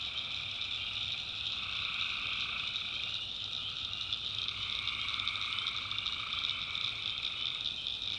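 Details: Tree frogs calling at night in a swamp in the backwoods of North Carolina: a dense, unbroken chorus of high, shimmering trills layered in several bands, with a lower band that drops out briefly and returns, over a faint low hum.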